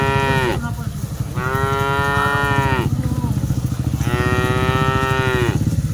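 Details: Cattle (sapi lembu) being herded, dozens of animals: two long, loud harmonic moos, each sliding slightly downward at the end, over a steady low rumbling background.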